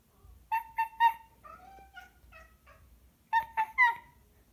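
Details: Domestic cat making funny noises: a burst of three staccato chirp-meows, a string of softer warbling trills, then another quick triplet of sharp chirps, indoors with little background sound.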